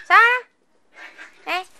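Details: Micro teacup poodle, an AKC pet from Alabama now living in Hong Kong: a short, bright, rising yelp, then soft rustling and a second brief high yip indoors.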